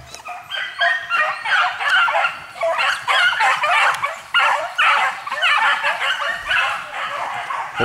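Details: Hare-coursing dog in full chase, giving loud, rapid yelps repeated about twice a second in a steady run, each a harsh, ringing burst, with a voice briefly audible.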